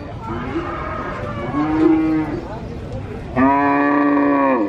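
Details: A calf at a cattle market in Purwokerto moos continually, two drawn-out, fairly high-pitched moos, the second louder and longer; an adult cow beside it also moos less often.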